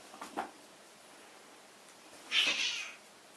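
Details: British Shorthair kittens at a cattery in Poland, a long-haired one and a lilac one, indoors; a faint soft sound early on, then one loud, breathy, high-pitched cry lasting about half a second, with quiet room background.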